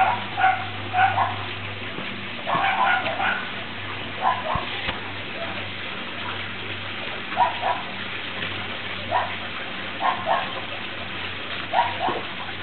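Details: Norrbottenspets puppies, eight weeks old, outdoors in the rain. They give short, high yips and whines in irregular bursts throughout, sometimes several in quick succession. A steady low hum and patter of rain run underneath.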